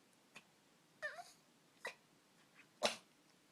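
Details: Pet dog indoors snorting and sneezing when excited: a brief snort, a short squeaky sniffling sound, another snort, then one loud explosive sneeze near the end.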